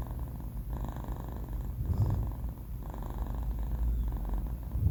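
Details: Four-month-old male cat Banh Mi snoring while asleep: deep rumbling breaths rise and fall roughly every second, each one carrying a faint raspy buzz above the low drone.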